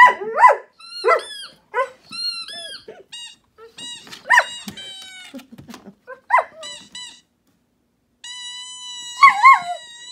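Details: A German Shepherd, excited by a squeaky-toy sound played from a phone, gives short, wavering howls and yowls, rising and falling in pitch, between the high toy squeaks.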